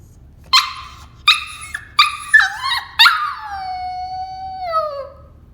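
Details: Cavalier King Charles Spaniel in its cage at bedtime, wanting out and half yawning while whining; loud, high whimpers in quick succession ending in a long, howl-like whine that glides steadily downward.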